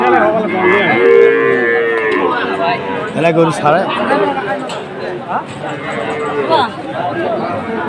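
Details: Sahiwal bull at a cattle market on 7 September 2024, lowing with a steady, level moo early on, then fainter bellows beneath loud haggling voices and crowd noise.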